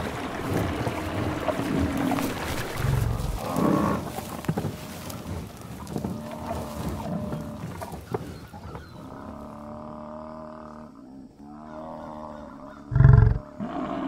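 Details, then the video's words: Buffalo in the wild on the savannah giving drawn-out, moo-like lowing calls, with layered harmonic tones that rise and fall for several seconds, a brief low thump near three seconds and another near thirteen, and a steady background rumble. "The sounds of buffalo in the wild"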